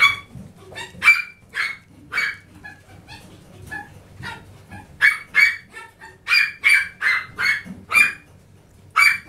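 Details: Chihuahua puppy, described as very lively; rapid high-pitched yapping barks, about two per second with brief pauses, some barks ending in a short squeaky tone, close and loud over quiet background.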